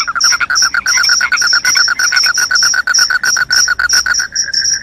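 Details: Crickets calling loudly, layering a fast pulsed buzzy trill beneath sharp, high chirps repeated several times a second, with the louder pulses briefly dropping out near the end.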